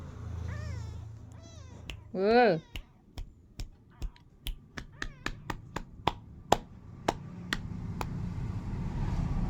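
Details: Lively kitten giving a few short, high meows that slide downward, then one louder drawn-out wavering call, followed by a run of sharp clicks or snaps spaced under a second apart, with a person talking nearby.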